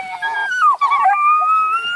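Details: Scent hound puppies on a farm, shut in a large dog box while being moved to a new pen and loudly objecting: a high, wavering whine breaks into a long, thin, rising howl.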